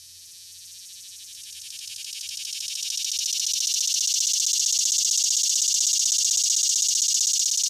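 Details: A male swamp (morning) cicada, an annual Illinois species that tends to call only before noon, gives a high, pulsing buzz swelling steadily toward a strong crescendo; its brief song of about 10 seconds crescendos strongly in the middle.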